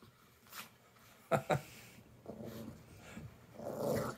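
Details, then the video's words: A 9-year-old Yorkie and a 4-month-old rat terrier named Jack fight over a stuffed bear: two sharp snarling bursts, then rougher rumbling growls building toward the end, with a voice in between. "Rattie & Yorkie fight over stuffed bear"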